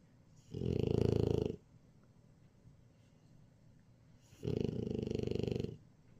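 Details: French Bulldog snoring while napping indoors: two loud, rough, pulsing snore bursts, each about one second long, about four seconds apart, with quiet breathing between.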